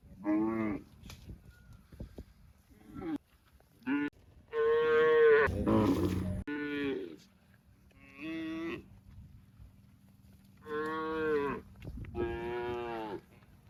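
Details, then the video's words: Repeated cow moos, about seven harmonic lowing calls of one to two seconds each, evenly loud, with a short noisy thump in the middle and a low steady hum underneath. "Cow Mooing Sound"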